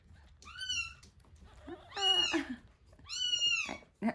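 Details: At feeding time for one-week-old kittens Terra and Towa, two drawn-out high mews frame a lower, rougher cry in the middle, ending with a short click.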